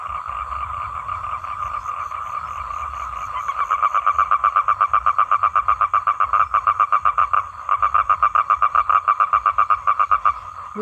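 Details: Male toad's mating call to females: a soft drone builds into a strong, fast, regular pulsed trill, breaking briefly once before resuming, ending with a short human voice.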